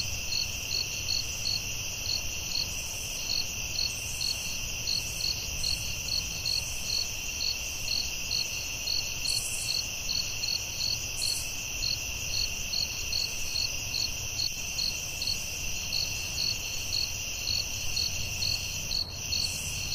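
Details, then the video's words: Forest at night filled with crickets: unbroken shrill trilling and a regular train of brief chirps, about two each second, with occasional higher buzzy bursts and low steady rumble. "Soothing Cricket🦗 Sounds at Night"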